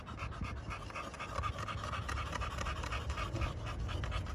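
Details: Kennel-kept American Bully pocket dogs from Romania pant hard, about four rough breathy pulses each second, steady and close over a faint low drone.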